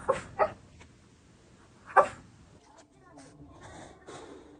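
A Shih Tzu lets out two quick, sharp barks and another a moment later, each a brief broadband burst. Softer grumbles, snorts and snuffles follow in the quieter stretch afterward.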